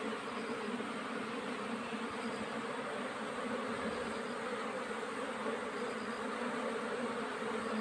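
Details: Swarming hum of honey bees in summer nectar flow, a thick continuous buzz filling low and middle pitches, steady and unvarying from start to finish.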